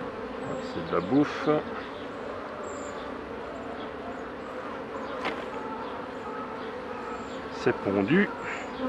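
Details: Continuous low hum of honey bees around hives being worked by a beekeeper, 2018; brief human voice bursts near the start and end rise above the steady drone.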